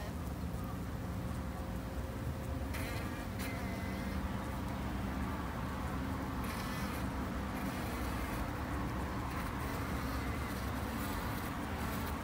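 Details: Japanese honey bees kept in a garden hive: a dense, steady colony hum with low droning bands, broken by a few brief higher rustling bursts.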